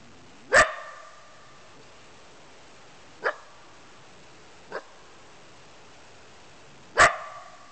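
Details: Wild coyote caught on a trail camera: four short, sharp barks spaced irregularly over about seven seconds, the first and last loudest with a harsh ringing tone, the middle two fainter and more distant, over a quiet steady background hiss.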